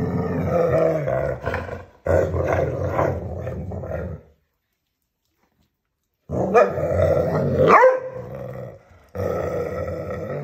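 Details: Hungarian Vizsla puppies at play at home, giving rough low growls and grumbling whines in two bursts of a few seconds each, separated by a two-second silence, with a sharper yelp-like note near the end.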